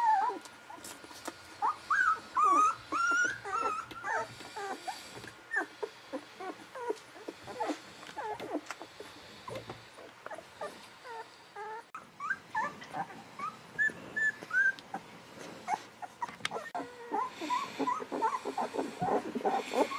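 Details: Newborn Golden Retriever litter, 11 to 13 days old, from Aiko of Haarby and Lady Dina: a chorus of thin, squeaky whimpers and short yips, bursts repeated quickly with brief quieter gaps.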